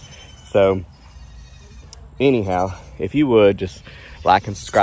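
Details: Baby goats bleating while their hooves are trimmed: several short, wavering, nasal bleats arrive in bursts a second or so apart, mixed with a person talking nearby.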